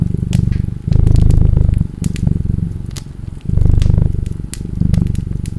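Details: Deep rhythmic cat purr in alternating strong and quieter breath cycles, a fine fast pulse running through it, over the crackling and snapping of a fireplace.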